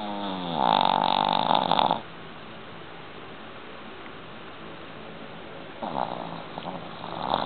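A Boston Terrier's snore comes as a loud, buzzy rattle with a nasal, whistling tone that climbs as the breath is drawn in. After a quiet pause of several seconds, the next snoring breath starts to build.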